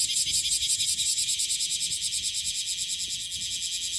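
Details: Cryptotympana facialis, the bear cicada of Okinawa, calling in its June–August season: a bright, high rasping song beating in fast even pulses about every third of a second, with little else audible.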